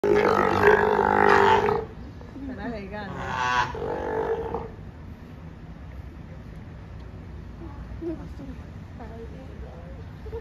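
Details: Sea lion mother and pup in a disagreement: loud, harsh, tonal bellowing bursts in the first two seconds and again near three to four seconds, then quieter intermittent calls over a steady background hum.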